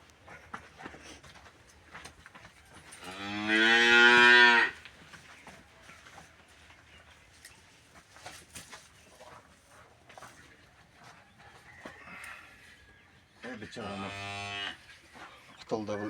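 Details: Cattle whose stomach is being cleared of metal objects: two drawn-out, rich moos about ten seconds apart, the first louder and longer, with quiet handling noises and faint clicks between them.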